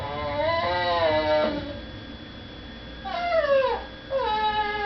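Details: Female house dog crying to be let out to beg at the dinner table where people are eating; a drawn-out wavering whine, a brief pause, then two sharp whimpers sliding steeply down in pitch.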